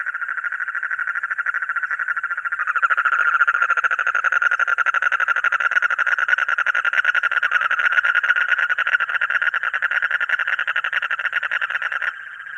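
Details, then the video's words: Frog calling in a rapid, rattling pulsed trill of mid-pitched clicks. It grows louder and fuller after about three seconds, continues unbroken, then stops abruptly near twelve seconds. "Mendhak Ki Awaaz Suno! | Funny Frog Sound"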